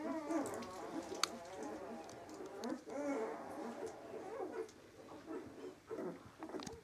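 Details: Samoyed puppies at 18 days old making drawn-out, wavering whines and low grumbling cries, several overlapping, fading in and out over about seven seconds.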